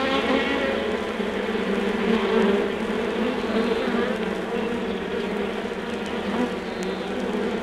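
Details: Steady droning buzz of an undisturbed honey bee hive, many bees humming together in a thick continuous band, slightly swelling around the middle, with light clicks and crackle from a vinyl source.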